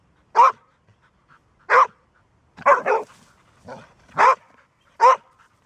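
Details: A female Golden Retriever who rarely barks gives a series of short, loud, deep barks spaced about a second apart.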